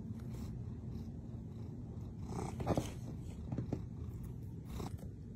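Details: Pet cat purring close up indoors: a deep, even, low-pitched rumble fills the whole stretch, with a few soft rustling and shuffling sounds over it.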